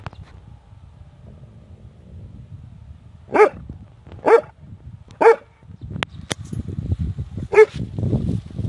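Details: A big dog barking loudly, four deep, sharp barks spaced about a second apart after a quiet start, with some low rumbling background noise and a brief click.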